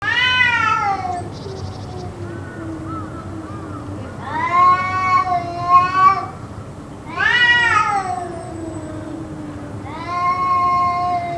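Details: Cats yowling, possibly fighting, in a bout that went on for about two hours: long wavering harmonic wails rising and falling, four drawn-out howls each lasting one to two seconds, with lower moaning between them and a steady background hum.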